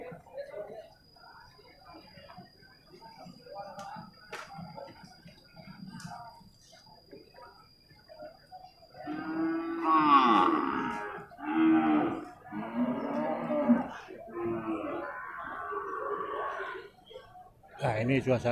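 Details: Young male water buffalo at a livestock market in Purwakarta, Indonesia, giving a run of low, drawn-out, harmonic moos in the second half, after a quieter stretch of scattered market noise.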